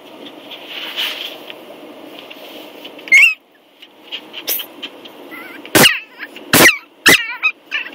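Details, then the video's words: A 10-week-old Yorkshire Terrier puppy lets out a series of four or five short, squeaky, high yips spaced about half a second to two seconds apart, with quiet room hum between them. "10 week old Yorkie, cutest bark ever!"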